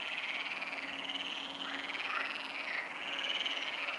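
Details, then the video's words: Pond frogs at Neuer Teich calling late on the night of 28 May 2017 at 23:27. A loud, unbroken croaking chorus of many voices makes a dense, vibrating buzz, slightly louder toward the close. "Neuer Teich frogs"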